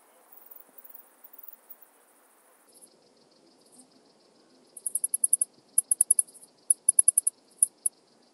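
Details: Alpine saw bush-cricket singing at Brixen, Italy, on 11 September 2022: faint scattered ticks at first, then from about five seconds clear groups of short, very high-pitched pulses, four to eight per burst, repeated roughly every second.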